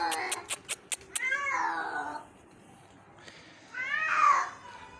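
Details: Injured kitten found in the morning and being rescued, giving two drawn-out, wavering meows, the second higher and louder, after a run of sharp rhythmic clicks or taps indoors.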